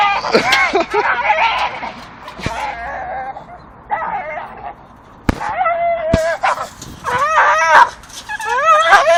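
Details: Two Staffordshire terriers chew a dustbin lid swinging from a tree, giving high, wavering whines and squeals in irregular bursts, with some clattering and quieter gaps between.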